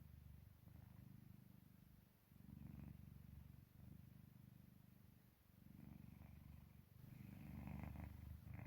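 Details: Domestic cat purring or snoring in deep sleep, recorded indoors as it lay dozing beside its owner: steady low rumbling pulses in long bouts separated by brief pauses, louder swells near the end.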